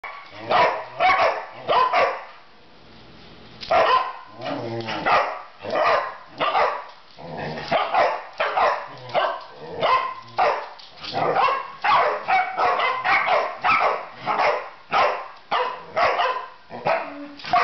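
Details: Three dogs barking together at something unseen: loud, sharp barks come in rapid, overlapping bursts, about one to two per second, with a short lull near the third second before the barking resumes.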